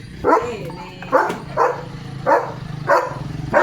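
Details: German Shepherd Leo, carrying a shoe in his mouth, lets out five short barks spaced about two-thirds of a second apart over a low, constant mechanical hum.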